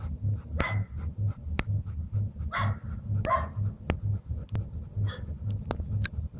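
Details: Female double-coated German Shepherd kept as a breeding dam gives a few loud, single barks spaced about a second apart over a steady, regularly pulsing low mechanical hum.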